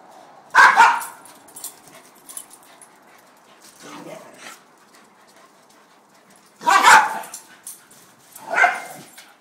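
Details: Two pet dogs, a corgi and a beagle mix, playing rough on a porch. Sharp, loud single barks come near the start, twice more late on, with softer growly yelps in between and quiet pauses.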